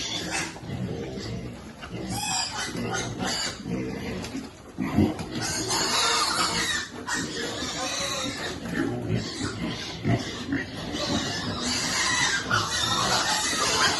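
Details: Domestic pig with piglets at feeding time: dense, irregular grunting and oinking throughout, with scattered clucking-like sounds and general farmyard clatter.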